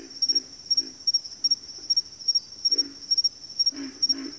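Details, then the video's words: Short burst of a backwater frog chorus, a few deep grunting croaks in quick pairs and triplets, over an unbroken high, fast-pulsing trill. "Backwater Chorus, & Frog Chorus"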